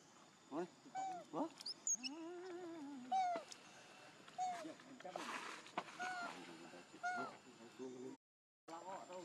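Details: Young macaque Leo begging his mother for milk: high, arching whimpers and tonal cries, some rising then falling, repeated in quick bursts with brief noisy squeals in between.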